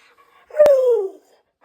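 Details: An Akita dog, excited before a midday walk, gives one short howl indoors: a clear tone that starts loud and slides gently downward for about half a second, with a sharp click at its start.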